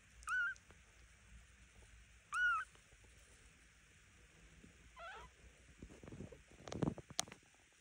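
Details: Two-week-old Devon Rex kittens mewing: three thin, high, arching mews about two seconds apart, the last lower and shakier, followed by handling and rustling noises.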